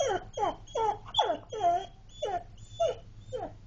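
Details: Dog whines because it wants to go to Dunkin' Donuts, giving about eight clear, high-pitched whimpers that each slide downward, roughly two per second, with a low steady hum in the background indoors.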